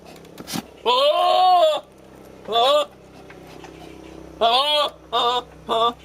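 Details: Male goat yelling weird, scary-sounding calls at a female goat in courtship: a long, quavering bleat of almost a second, then a shorter one, and a final run of three rapid, clipped cries.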